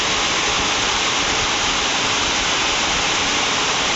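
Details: Heavy rain at night at Ban Bo Noi, Chiang Kham, Phayao, Thailand, makes a loud, steady hiss with no animal calls standing out.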